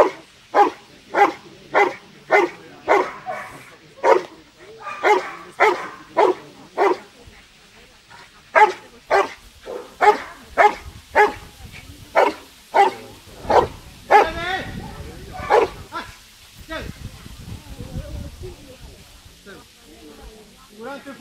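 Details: Rottweiler barking in a regular series during sleeve bite work, a utility and defence trial at a national dog show in Versilia, Italy; loud sharp barks roughly every half second, then scuffling noise and faint voices toward the end.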